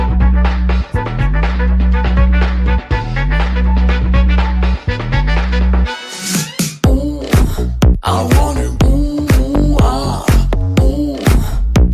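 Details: Upbeat music with a steady, driving beat plays throughout, with a brief pause just before the sixth second.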